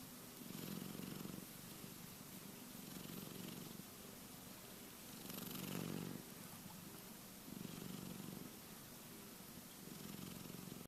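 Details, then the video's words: Low purring snore from Keke, a cat sleeping and dreaming, pulsing in slow breath cycles of about two to three seconds, each swell brighter and hissier, in a quiet room. "Snoring cat Keke dreaming"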